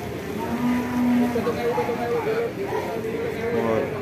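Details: Cow at a cattle market in Rowotamtu, Jember, East Java, Indonesia, gives a drawn-out, wavering moo that rises partway through. Steady crowd and market noise fill the background.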